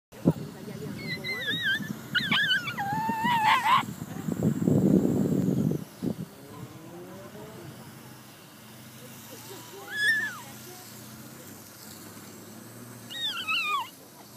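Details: Liloo, a whippet, at her very first lure coursing run, gives high wavering whines and yelps that rise and fall, in bursts during the first four seconds and again later, with people talking and outdoor background noise.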